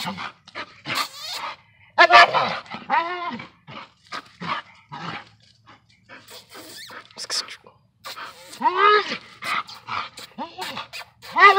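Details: A working Bull Terrier confronting a raccoon gives short, hoarse barks and whining yelps in uneven bursts while a person talks.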